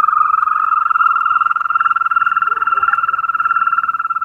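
A European green toad gives a long, steady, high-pitched trill that runs unbroken like a purring whistle.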